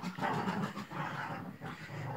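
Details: A 7-day-old newborn female Chihuahua puppy, black with tan markings, indoors in Simferopol, makes low rough grunting, growl-like noises with squeaky overtones. They run almost continuously for about two seconds, dipping briefly twice.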